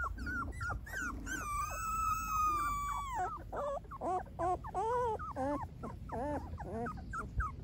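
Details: Golden Retriever puppies whimpering: a long, steady whine held about two seconds, then short rising and falling squeaky cries in quick succession over a low background rumble.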